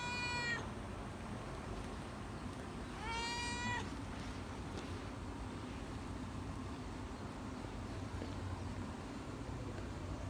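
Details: Cat outside a guesthouse on Sanagi Island, Kagawa, Japan's cat island, with two loud, bright meows about three seconds apart, each with a sharp onset and a slightly rising then falling tone, over a constant background hiss.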